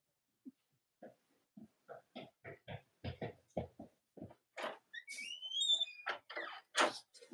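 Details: Cavalier King Charles Spaniel puppies from the litters of Robin and Myra, on a chilly Monday morning. A run of soft, evenly spaced grunts gives way to high whistly whines and sharp squeals.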